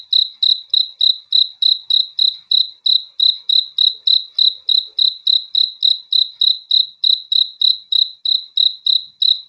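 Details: Cricket chirping at night, a clean high pulsed chirp repeated steadily about three times per second, each chirp a short trilled burst with a faint overtone, over otherwise silent background.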